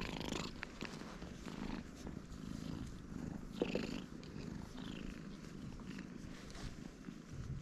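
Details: Cats huddling together on a Japanese cat island, strays filmed by GoPro HERO8, give a continuous soft, low vibrating purr, even and unbroken, with faint rustling and one brief squeak-like click mid-clip.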